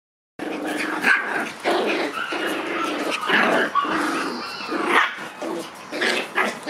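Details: Red Shiba Inu born March 31: a series of short, sharp yaps and barks, some with a whining edge, coming in quick bursts roughly every half second to second, with steady background noise.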